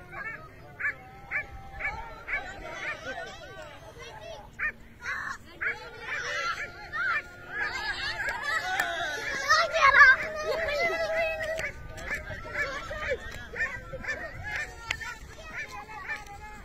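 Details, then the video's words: Dogs on a hare hunt bark in short, sharp, evenly spaced yelps that run into longer arched bays partway through. People shout over them and field noise rumbles underneath. "شکاری کتے خرگوش کا پیچھا کرتے ہوئے۔"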